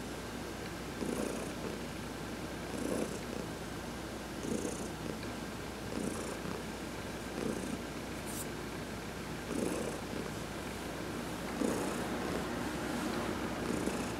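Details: Sunbathing adopted cat Heidi purrs through a massage, her quiet rumble cycling in regular swells roughly every 1.7 seconds, over faint hissy sounds of hands rubbing fur.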